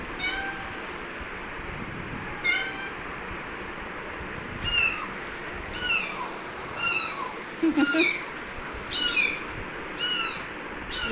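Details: A kitten gives thin, high-pitched mews, repeated roughly once a second.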